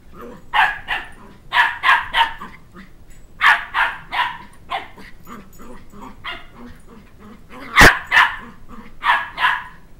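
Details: Indoors, a two-month-old Shetland Sheepdog puppy chases a two-year-old who took his stuffed dog-head toy, yapping in rapid uneven clusters of shrill barks, with one sharp thump partway through.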